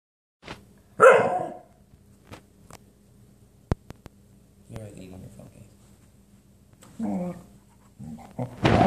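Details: A Shiba Inu trying to eat the floor gives a sharp, yelping bark, then low grumbling, odd noises, with a person talking nearby.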